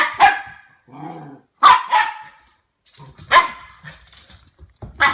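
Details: Harvey, a 10-week-old Goldendoodle puppy, barks at a new plastic toy he is wary of: sharp, bright barks spaced about every one and a half seconds, with a soft low murmur of human speech between them indoors.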